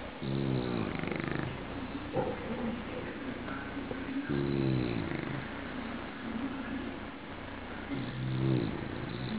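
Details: Bulldog snoring, with three low, rough, harmonic-rich snores about every four seconds, each drawn out for roughly a second, over a steady indoor background hum.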